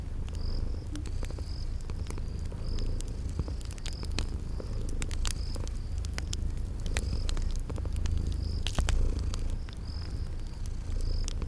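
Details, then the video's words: Sleeping kitties purring in a cozy spring garden ambience: a steady low rumbling purr underneath, with sharp crackling fireplace pops and a regular high cricket chirp repeating roughly every half second. "Relax with Cute Sleeping Purring Kitties by a Crackling Fireplace"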